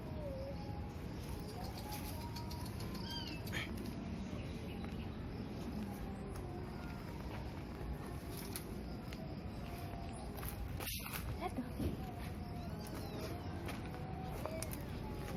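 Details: Abandoned newborn kittens, four with eyes still closed, lying on a cloth in a cemetery near dusk; faint thin mews, several short rising-and-falling cries spread through the clip over a steady background hiss, with a sharp click near the middle.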